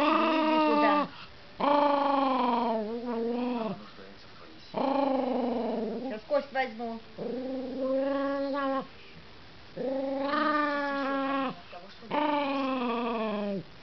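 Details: Russian toy terrier giving a series of six drawn-out, tonal whining howls, each about a second long with a slight pitch bend, separated by short pauses.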